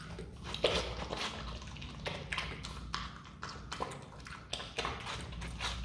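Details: Pet Himalayan marmot munching watermelon, giving moist, crackling chews, several distinct louder bites and quieter smacking in between, above a low steady background tone.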